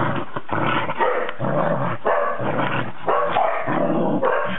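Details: Cardigan Welsh Corgi barking in a run of short, harsh, repeated barks, about five bursts across a few seconds, some with a growly edge, indoors.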